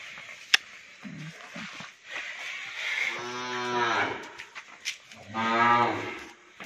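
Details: Hallikar stud bull at Thattekere, Maralavadi Hobali, Kanakapura Taluk, giving a deep harmonic moo of about a second, followed by a second longer, stronger bellow; brief clatter and background voices around it.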